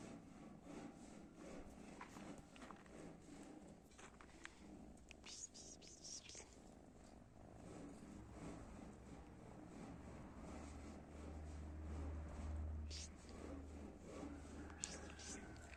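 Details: Domestic cat purring in a steady, low, rapid rumble throughout, with a few soft clicks and rustles on top.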